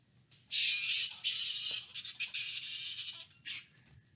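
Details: Flying foxes on a live bat cam at the Lubee Bat Conservancy in Gainesville, Florida, August 30, 2019: a loud, harsh, high-pitched squabbling chatter runs for about three seconds, followed by one shorter squawk before quiet returns.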